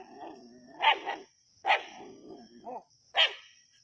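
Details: Native dogs hunting a snake at Keezhadi: a low rumbling growl runs underneath four bright, harsh barks, spaced roughly every three-quarters of a second, with a short grumbling rise between them.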